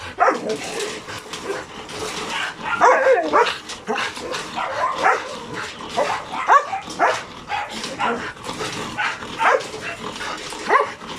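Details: Hyper dogs Logan and Kaido, whose attention is caught even by insects, birds and voices, giving a long run of irregular short yips and barks over steady background hiss.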